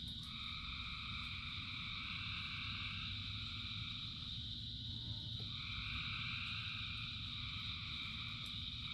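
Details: Thousands of frogs singing in rain: a dense, unbroken chorus with a steady high ringing drone, a layered two-tone croaking band that drops out briefly midway and then resumes, over a constant low rumble of rainfall.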